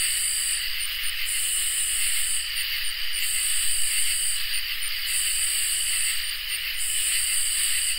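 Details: Crickets and katydids singing together on a summer night: a steady high shrill trill runs throughout, overlaid by louder buzzy pulsed bursts about a second long separated by short gaps.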